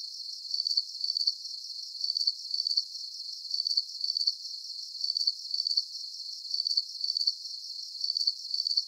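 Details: Chirping crickets for deep sleep relaxation, giving sharp high-pitched pulse bursts in pairs and triplets that recur at an even pace over a soft continuous insect hiss.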